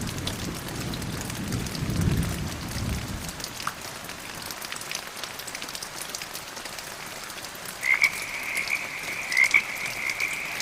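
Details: Frogs heard during medium rain and gentle thunder: a low rumble of thunder fades early, rain hisses throughout, and two or three short high croaks arrive near the end over a sustained high drone.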